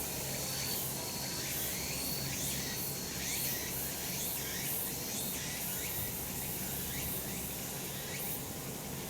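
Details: Cicadas in summer mountains, sunny location: a continuous high shrill drone carries many quick rising chirp-like strokes repeated several times a second, with steady low-pitched rumble beneath.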